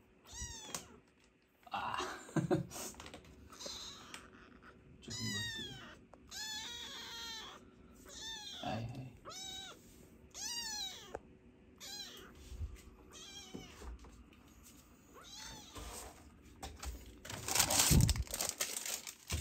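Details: Rescued sibling kittens in foster care cry insistently during toilet training, producing a rapid series of short, high, arched meows, several every few seconds, mixed with scuffling, taps and a loud rustle near the end.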